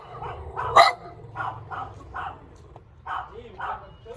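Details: Small, cute dog giving a run of soft, yappy barks about twice a second, with one louder sharp bark near the start and a steady low hum underneath.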